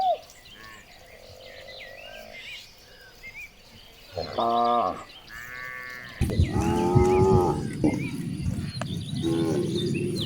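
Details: Cows being herded through village streets in the morning: after a quiet start with distant chirps, a few short, strained moos come in quick succession midway, then continue against louder rustling and trampling noise.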